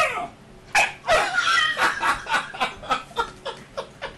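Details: Sheru, an Alaskan Malamute puppy about 9 or 10 weeks old, play fighting in Calgary, Canada, in May 2012: rapid rough yips and growly pulses repeat about three times a second, strong at first and then fading, indoors.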